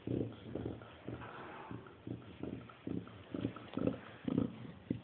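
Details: Chow Chow dog making pig-like grunts: short, low, choppy snorts that come quickly, about two a second, with sniffing noises in between.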